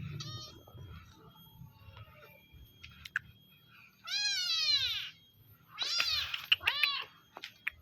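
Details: Village cat at feeding time giving a faint early mew, then a long loud falling meow followed by two quick, closely spaced meows, with light tapping noises around them.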